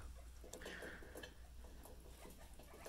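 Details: Pet guinea pigs indoors, among them Peanut and Rowdy Rudy: a faint, steady high squeak held for about half a second, set against soft pattering, rustling and a low background hum.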